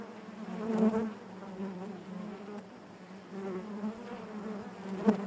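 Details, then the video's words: Dense hum from a honey bee colony within the hive, a continuous low buzzing with a layered overtone band, rising briefly near the first second and again at the end as a bee passes close. "bees therapy hive natural buzzing sound"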